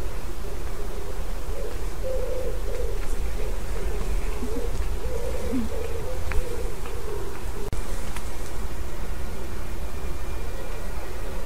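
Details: In lime trees by the River Tyne walk, Haddington, East Lothian, Scotland, in July 2016, bees and other pollinators forage; droning buzz that swells and wavers as insects pass close, over a constant low outdoor rumble.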